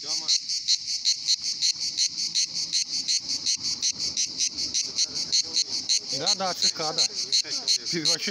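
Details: Many singing cicadas at a Pitsunda resort in Abkhazia in summer make a continuous high, grating buzz beating in rapid pulses, while a person speaks loudly toward the end.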